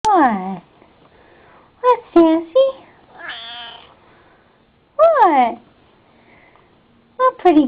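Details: Pet cat named Sassy indoors, giving several drawn-out meows, one falling in pitch and others short and bent, spaced a few seconds apart, with a woman's voice cooing 'pretty girl' between them.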